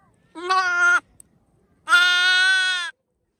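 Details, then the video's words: Newborn lamb baaing loudly: two harmonic-rich bleats, a short one followed by a longer, steady, slightly wavering one about a second later, with quiet pauses around them. "Cute baby newborn baby sheep baaing,loud noise,Cute baby lamb has a loud baa"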